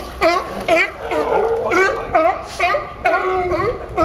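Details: Sea lions at Pier 39, Fisherman's Wharf, San Francisco, giving a run of harsh, honking barks rich in harmonics, one burst roughly every half second, some calls overlapping and rising then falling in tone.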